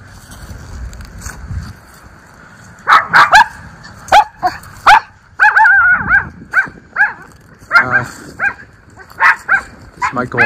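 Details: A pair of Miniature Schnauzer brothers barking at the neighbours in their leaf-strewn yard in Aroostook County, Maine, on a cool, windy October day; a rapid string of sharp, high-pitched barks, some in fast doubles, with short pauses between bursts.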